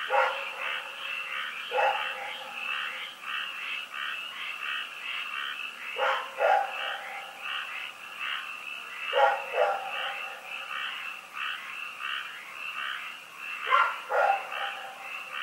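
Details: Rex, a dog, barking at night at Pyrga on 27 February 2018: five loud, sharp barks spaced several seconds apart, some doubled, over a steady pulsing chorus of croaking frogs.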